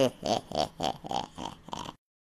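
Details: Airedale Terrier making a series of six or seven throaty, pulsed grunting vocalisations in steady rhythm, like a laughing grumble, indoors with no other sounds.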